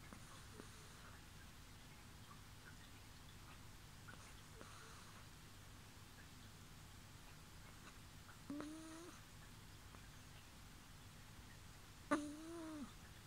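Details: Sleeping pet kitten Bibi gives soft fart-like 'poo' snores indoors, with no background music added: two brief tonal, nasal squeaks about three and a half seconds apart, the second sliding down at its end, over a low steady room hum.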